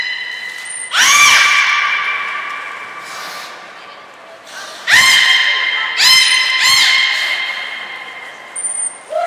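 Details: Port of Nagoya Public Aquarium belugas Hodoi, Taanya and Mirai, 14 March 2021, during pool moves and training; strong harmonic squealing calls with downward-sweeping starts, four bursts, high thin tones at the edges, echoing indoor space.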